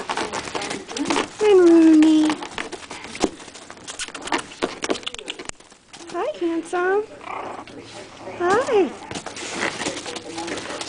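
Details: Eight-week-old Pomeranian-Chihuahua mix puppies playing rough indoors: a loud, drawn-out falling whine, then short high yelps and squeals in bursts, with a woman talking throughout.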